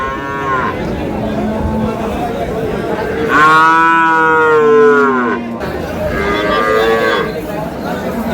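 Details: Cows with calves at Ambari market (Amabari haat) in Dinajpur, Bangladesh: a loud, drawn-out harmonic moo swelling around the middle, with shorter lowing calls before and after and a faint market bustle behind.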